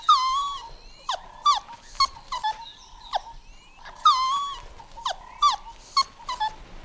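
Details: Golden Retriever puppies playing on a green lawn outdoors: high, tonal whines and short yelps with bright overtones, some sliding up or down, coming in quick bursts about every half second, with the sequence seeming to repeat after four seconds.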